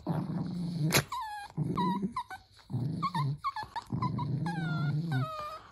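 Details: Playful Dachshund, a wiener dog, growling in a low steady rumble broken by short high yips and whimpers that slide downward, several bursts over about six seconds, with one sharp knock near the start.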